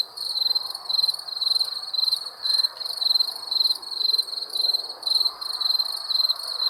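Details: Night chorus of crickets, bright rapid pulsed chirps grouped into bursts roughly twice per second, evenly repeated over a low hiss with no other clear sounds.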